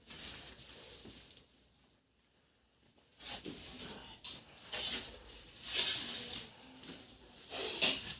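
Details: Indian spectacled cobra, one of a pair that entered a fodder storage room at Rakh near Akhnoor, Jammu, hissing during a rescue: harsh airy bursts of breathy noise, several short blasts, with a quiet gap and faint voices nearby.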